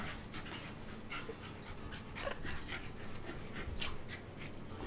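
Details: Two tri-colour Pembroke Welsh Corgis play fighting without hurting each other: quick, breathy panting bursts with faint whimpering sounds in between.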